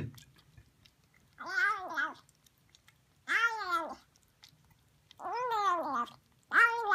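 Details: Female Siamese kitten eating sardines indoors gives four loud, arched, nasal meows, each under a second long and spaced about two seconds apart, over a faint low hum.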